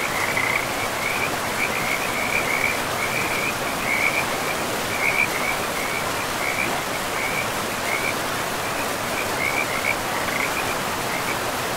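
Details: High pulsed frog trills come in rhythmic clusters about every half second to second, riding over the steady roar of a river in a moss-covered pristine forest.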